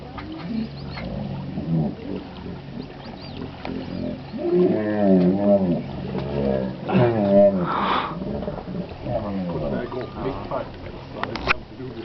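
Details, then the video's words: Hippos in Chobe National Park, Botswana, in July, giving strange, creepy calls: deep rhythmic honking grunts with stacked harmonics, pulsing in bursts around four to eight seconds, over a low rumbling background. "Creepy, Strange Hippo Sounds/Calls"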